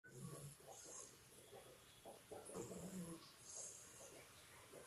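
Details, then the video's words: Two-month-old Labrador Retriever puppy asleep, snoring like a human: soft, low rasping breaths in quick uneven pulses, with faint background hiss. "Labrador Puppy Snoring Like Human"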